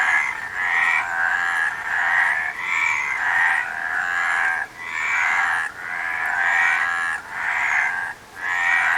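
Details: Rasping, rattling frog croaks arrive in repeated bursts, nearly one per second, with short pauses between them. A thick chorus of overlapping frogs hums underneath.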